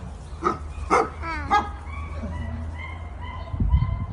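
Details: Pack of Vizslas excitedly greeting a toddler aged one and a half; two quick barks and a wavering yelp, then soft tonal whimpers, ending in a low thump.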